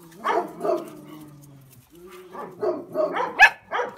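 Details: A litter of Kuvasz puppies: a drawn-out, falling whine, then a quick run of short, high yips and little barks at uneven intervals, with no other clear sounds.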